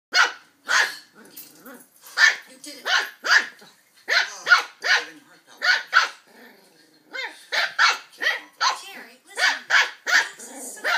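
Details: Border Terrier puppy indoors playfully attacking a juice carton, giving sharp yappy barks in quick irregular bursts, some run together in pairs, with brief growly sounds between them.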